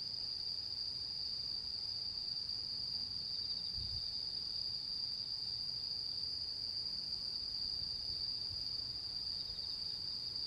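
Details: Autumn insects calling on the full-moon night of 10 September 2022, the mid-autumn moon: one steady, unbroken high-pitched trill holds throughout, with a soft low rumble beneath.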